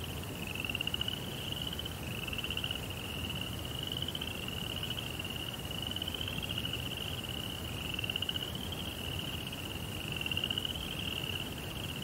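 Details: Crickets at night in a Japanese-style Zen rock garden with a koi pond: high, pulsed trilling chirps, each about a second long, repeated almost without pause over a steady low rumble.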